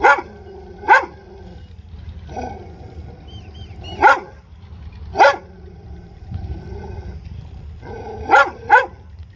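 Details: Dog barking in short, sharp, harmonically rich barks, some coming in quick doubled pairs, spaced irregularly with quieter, softer barks between the louder ones over a low background rumble.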